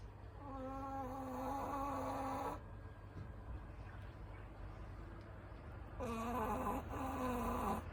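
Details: Shih Tzu named Ku-chan, a pet, snoring loudly while asleep at night. Two long, steady droning snores of about two seconds each, with a quieter breathing stretch between them.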